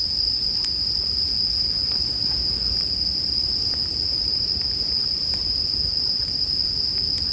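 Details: Ringing of bell crickets paired with bonfire sounds for sleep listening: a continuous bright, metallic high tone, scattered crisp fire crackles every second or so, and a soft low roar.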